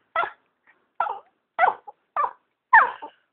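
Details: Pet dog talking to its owner with a series of five short yelping, rising-falling vocal bursts about every half second, answered by a person's quiet voice.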